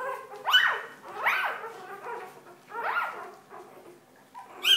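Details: Newborn Golden Retriever puppies on their fourth day after birth, giving high, wavering whimpers and squeals in short bursts about every second, rising then falling, with quiet gaps between cries.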